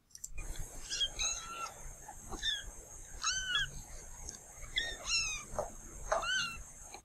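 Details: Several kittens mewing, short high harmonic mews with rising then falling pitch, one about every second, overlapping each other, over a steady faint hiss.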